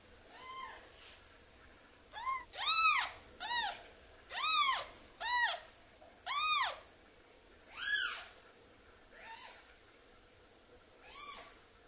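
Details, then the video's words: Baby kitten orphaned from its mother and kept indoors for hand-rearing cries insistently, about a dozen high arched mews in quick uneven succession, some brief and clipped, others drawn out, with near silence between. "Cry Of A Baby Kitten"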